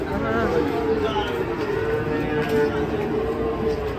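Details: Cattle being unloaded from a truck in Indonesia give a long, steady, mid-pitched moo held for several seconds, with a man's voice and crowd noise in the background.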